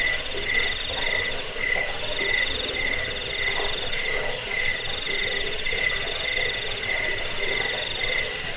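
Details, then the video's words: Cricket chirping, a recording used to drive away rats, lull people to sleep and tutor songbirds; shrill, high pulsed chirps repeat steadily about four times a second, with a fainter lower tone pulsing alongside and a soft hiss behind. "Suara jangkik pengusir tikus pengantar tidur"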